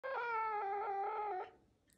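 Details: A pet female caracal chewing hard on her favourite toy and refusing to give it up gives one long, loud, wailing meow-like call of about 1.4 seconds that holds steady, dips slightly and then trails off.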